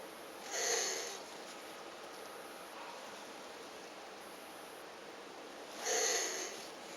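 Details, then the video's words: Captive elongated tortoises mating after a week of courtship. Two short, breathy, wheezing squeaks sound about five seconds apart, each with a thin whistled edge, over a steady faint indoor hiss. "Tortoises make weird NOISES during MATING!"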